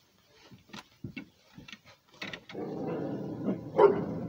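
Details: Rhodesian Ridgeback dog barking while defending its territory: a run of short, sharp barks at irregular intervals in the first half, then a louder, denser stretch of barking with a rough, broad noisy background.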